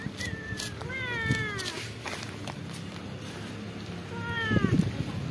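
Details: Several cats and kittens living at a pagoda meowing to ask for food; two clear harmonic meows with falling tails, near one second and again near four seconds, with a person's voice and rustling around them.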